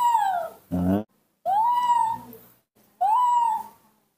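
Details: Newborn baby monkey, hand-reared at home, crying for milk in the morning: three drawn-out, arching whistled cries with rich harmonics, each about half a second long, and a short harsh squawk between the first two.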